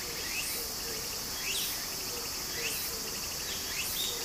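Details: By a summer stream in Japan, cicada song forms a loud high hiss with clear upward-swept notes recurring about once a second, the running water a low murmur underneath.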